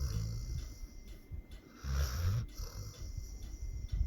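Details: Pit bull dog snoring, one loud rumbling, raspy inhale in the middle of a short stretch of soft low breathing.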